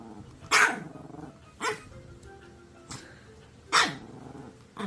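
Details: A Maltese dog named 복순이 in a home gives short, sharp yaps at irregular intervals, four or five in five seconds, over quiet background music.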